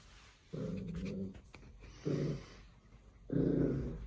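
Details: A Pembroke Welsh Corgi puppy, playing with a new toy, a tennis ball on a rope, growls in three low, rumbling bursts, each about a second long.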